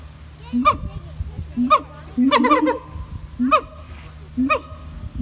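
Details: Siamang gibbons at Taronga Western Plains Zoo in Dubbo call with loud, harsh notes that leap upward, repeated about once a second.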